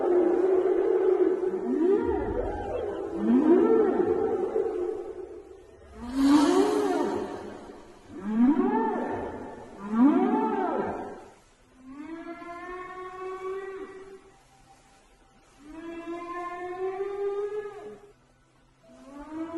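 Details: A whale in the sea gives a run of rising, moaning calls, each swelling and fading over a couple of seconds.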